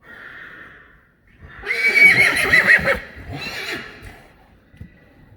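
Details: Weaned Friesian horse foals playing in an arena; a faint high call opens, then one loud quavering whinny lasting over a second, trailing into softer breathy tail notes, with light hoof sounds beneath.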